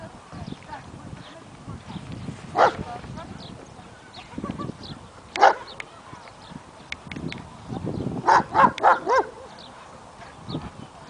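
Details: A male German Shepherd barks at a stray dog, giving loud, deep single barks spaced irregularly, then a quick run of several.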